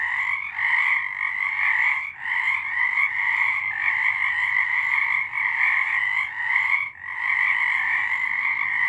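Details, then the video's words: Frogs singing at night during March 2023; dense overlapping trills keep a loud, even drone, broken by short lulls roughly every one to two seconds. "Frogs singing."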